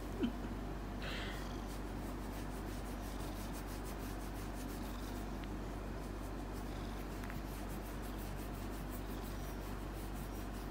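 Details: A domestic cat purrs in a steady, low, pulsing rumble while its chin is scratched, with soft rubbing and scratching sounds.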